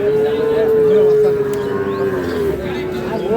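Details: Sahiwal bull calf at the Ambari cattle market, Parbatipur, Dinajpur, Bangladesh, 9 February 2026: a long, steady moo held for about two and a half seconds, slightly falling, then a short rising bellow, over murmuring buyers.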